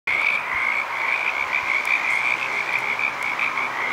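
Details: Frog chorus at Petaluma: a dense, continuous wall of high trilling croaks from many frogs, steady and unbroken throughout.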